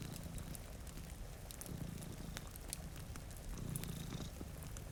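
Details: Two cats sleeping in front of a rainy window purr in a deep, even rumble that grows a little louder near the end, with occasional fireplace crackles and light rain sounds in the background.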